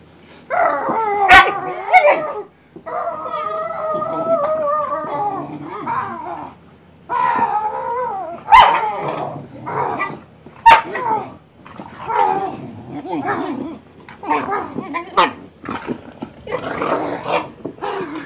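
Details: Two Boxer dogs, Emma and Wyatt, play fighting: drawn-out whining howls, yips and rough growly bursts in quick irregular runs, broken by sharp clicks and thumps of the scuffle.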